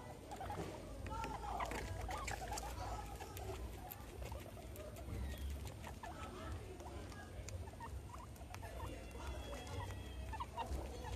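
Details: Two pet guinea pigs, Meadow and Sandstorm, at playtime with a soccer ball and an American football; soft short low chirps and chuts scattered throughout, over a steady low rumble, with frequent rustling and pattering of movement.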